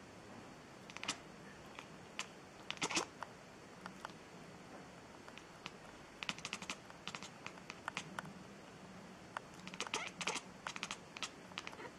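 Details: Quiet room tone broken by scattered sharp clicks and taps, with no animal voice heard.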